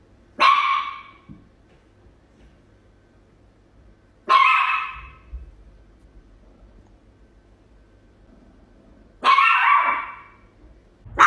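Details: Small Chihuahua acting as a tiny guard dog while barking at a cat, giving three separate sharp, slightly rasping barks spaced four to five seconds apart, with a quiet low background hum between them.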